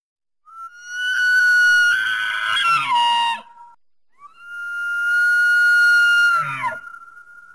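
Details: Elk of North America bugling twice: each call is a long, clear, high whistle held steady for a couple of seconds, then breaking into rough, falling grunts at the end.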